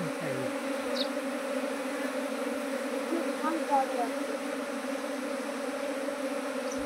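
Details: Droning hum of many honey bees at a beekeeper's hives, nineteen colonies grown from one in two months; even, sustained buzzing with a few faint voices and small clicks over it.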